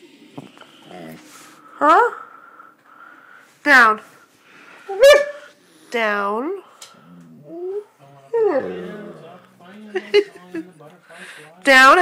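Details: Siberian Husky complaining because it is not allowed on the bed: a string of swooping, arching talking moans and whines, each about half a second, spaced unevenly between a person's quiet scolding words in a small room.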